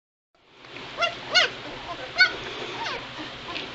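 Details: Two-week-old White Shepherd puppies in a litter give a few high, thin squealing whimpers with bending pitch, four or five cries within three seconds, the loudest near the start, over a steady low background hum.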